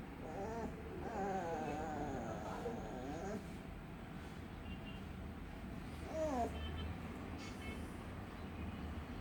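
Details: Little puppy moaning with weird noises: a long, shaky, warbling whine for about three seconds, then quiet, then one brief rising whimper, all over a low background rumble.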